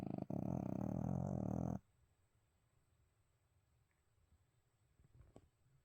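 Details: Sleeping pet dog Abel, which springs awake at any mention of snacks, gives a loud, low, droning snore for nearly two seconds, then quiet room noise with a faint tap.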